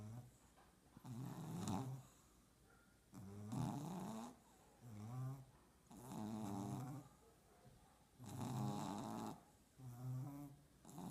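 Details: French bulldog puppies asleep, giving rhythmic low snores roughly every two seconds, each a rough harmonic rumble with breathy hiss, alternating with quiet breaths in a small indoor space.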